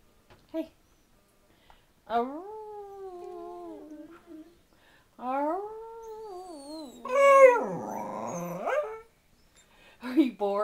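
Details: Pet dachshunds indoors in a small room, one named Lucy, 'singing': long drawn-out tonal howls that rise and then waver, two sustained howls of about three seconds each, then a louder wobbling howl, ending in short yelps.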